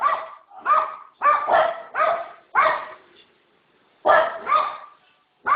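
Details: Dog letting out harsh, slightly rising barks in pairs and small groups, with a silent gap of about a second before two more barks and a last one cut off.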